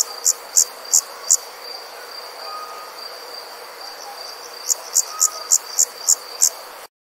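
High, evenly spaced insect chirps pulse over a steady shrill drone of distant insects at night.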